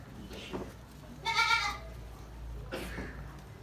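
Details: Gulabi goat newborn kid on Nagra Farm giving one brief, loud, tremulous bleat with rich overtones, set between quiet rustles and soft thumps.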